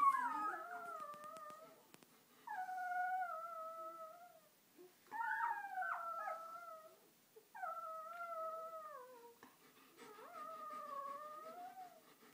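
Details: Day-old purebred German Shepherd puppies from a litter of ten; drawn-out wavering whines, each about two seconds, descending then leveling, repeated roughly every two and a half seconds in a quiet room.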